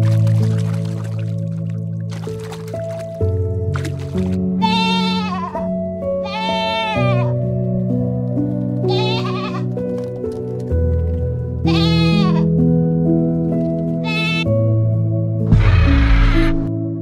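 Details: Goat bleating over background music: about five loud, wavering, nasal bleats of roughly a second each, spaced two to three seconds apart, with the last one harsher and lower.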